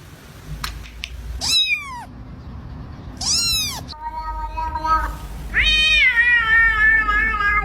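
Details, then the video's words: Domestic cat making short, high, downward-sweeping meows, then a longer, steadier, slightly nasal meow, with background room noise throughout. "the sound of a cat's meow"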